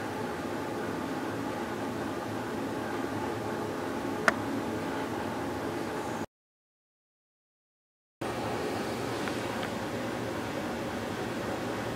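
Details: Steady broadband hum like a fan or air conditioner, with one sharp click and a two-second dropout to silence midway.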